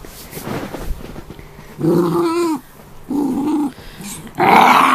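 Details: Peapea, a pet Australian terrier cross, growls while guarding his after-meal toy indoors, bothered by a person and Buibui, a Scottish terrier x Shih tzu cross. Three rough, throaty growls come at roughly one-second intervals, each about half a second long.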